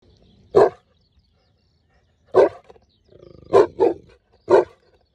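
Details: Saint Bernard guarding its owner: short, loud, deep barks at irregular intervals, five in all, with a brief low rumbling growl just before a quick double bark; otherwise quiet.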